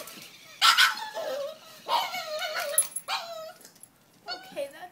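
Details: A French Bulldog meeting a new toy called the Doggie Bag, perhaps scared or perhaps excited, gives a series of high, wavering whines and yelps about a second apart.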